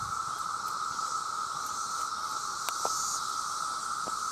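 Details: Male cicadas calling to attract mates, part of a chorus of millions: a loud, steady droning buzz that holds one pitch without a break, with a faint hiss higher up and a few brief clicks.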